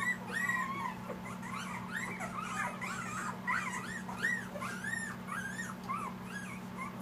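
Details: Eight Siberian Husky puppies aged two weeks, Panama, producing a busy chorus of wavering, squeaky whines and short yips that tumble over one another, backed by a steady low mechanical drone.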